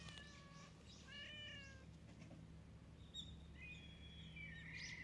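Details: Stray cat among flowers on a cat island: a clear meow, then after a pause a longer drawn-out meow with a bending pitch, against constant low outdoor hum.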